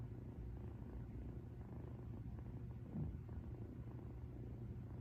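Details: Female domestic cat, a rescued cat, purring contentedly as if lying beside the listener; a low, continuous rumbling purr fills the recording steadily with no other clear sounds.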